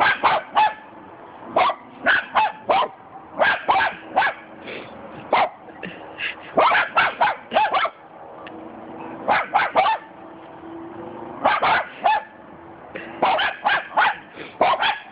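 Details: Cockapoo dogs bark at a cement dog statue in sharp, high-pitched bursts of two to four, pausing briefly between volleys, with people laughing.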